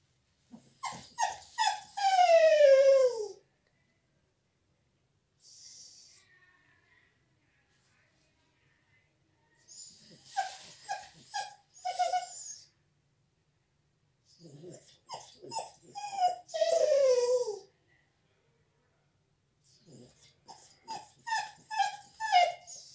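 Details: Bella, a dog crying indoors, shut out of the salon while a visitor is there: bursts of high whimpering whines that slide downward, with short yelps in between, separated by pauses of silence.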